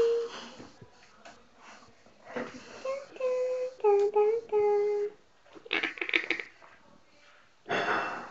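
A Bull Terrier 'talks' in short, wavering whines and moans broken up by breathy huffs.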